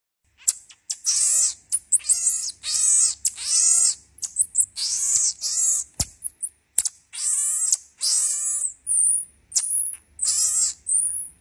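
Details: Marmoset giving a long series of high, trilled, wavering calls in quick bursts, each lasting about half a second to a second with short gaps between, the voice thin and chirping, with a few sharp clicks and no other sounds.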